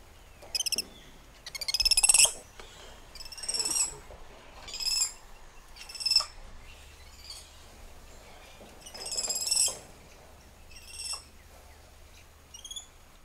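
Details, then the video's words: Spider monkeys calling in the treetops: a series of shrill, quavering harmonic bursts, each about half a second long, come every second or so with short gaps, against a quiet background hum. "Spider Monkey Symphony"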